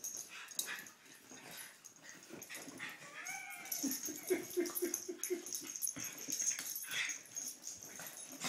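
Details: Dogs Poppie and Nellie at play: after scattered snorts, a short wavering whine rises near the middle, then rapid low grunting pulses about twice a second, mixed with wheezy huffs and scuffling.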